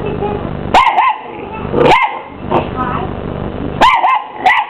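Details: Three loud, clear barks from a 12-week-old Miniature English Bull Terrier puppy facing down a hoover, each bark swooping up then down in pitch, with the vacuum's hum filling the pauses.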